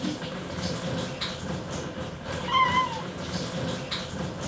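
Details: Two-year-old male short-legged Munchkin cat, white with gray markings, giving a squeaky chirping meow toward its owner in the bathtub; a single short, clear, slightly falling cry stands out over soft indoor background noise.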